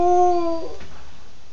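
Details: A beagle, apparently sleepy as bedtime nears, gives a short, steady, tonal howl that sags slightly in pitch before breaking off.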